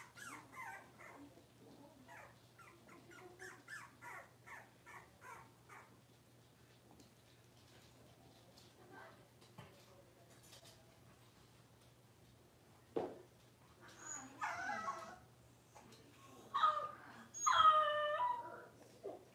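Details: Six-week-old Cavalier King Charles Spaniel puppies indoors while being dewormed and having toenails trimmed; after quiet murmuring, a run of high, wavering whines and sharp yelps rises near the end, with a low steady hum beneath.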